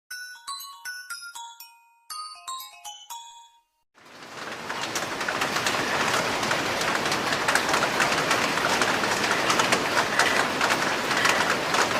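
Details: A short melodic chime of stepped, bell-like notes gives way to the loud, steady rumble and hiss of a passing train, with no animal voice.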